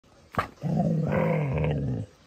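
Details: Female dog learning to sing along to the song Manamana: after a short sharp sound, she gives a sustained, low, growly, harmonic howl lasting about a second and a half, wavering slightly in pitch, then stops abruptly.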